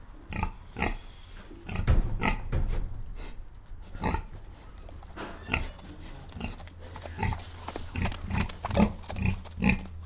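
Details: Pigs on a farm: short broadband grunts and squeals repeated at irregular intervals, some in quick runs, over a low steady hum.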